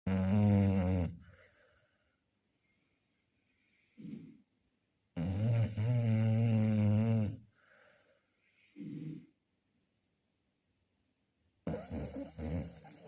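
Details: Chow Chow snoring indoors: deep, rasping, harmonic snores in long bursts of one to two seconds, alternating with short soft exhalations and quiet pauses, roughly every few seconds across the stretch.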